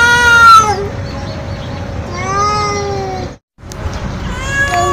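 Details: Loud, nonstop meowing from a stray feral cat: three wavering meows, the first short and falling, the next two longer and slurred, separated by a brief silent gap, with a steady low hum underneath.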